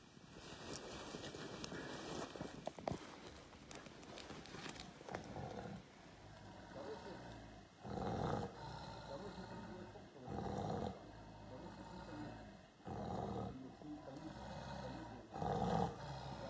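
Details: A Siberian tiger in woods near Sokolovka, Lazovsky district, Primorsky Krai, Russia, gives deep, throaty roars in heavy bursts a couple of seconds apart. Mushroom pickers hiding up a tree talk nervously beneath, over a steady high electronic whine.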